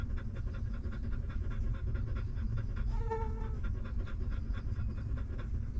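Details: Newborn puppies sucking milk from their stray mother dog, steady rhythmic suckling pulses, with one short tonal whimper from a pup rising above them midway, over a continuous deep rumble.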